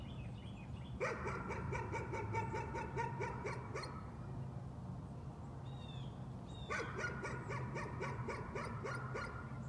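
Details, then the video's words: Nuisance barking from a dog in two bouts of rapid, repeated barks lasting about three seconds each, with a few high bird chirps in the gap and a low, steady background drone. "Nuisance barking again."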